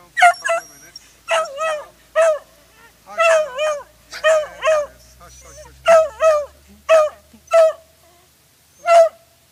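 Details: A beagle, Lulu, on a walk with adrenaline-driven excitement builds from whining into loud, penetrating baying barks, each a ringing, wavering yelp repeated in quick bursts.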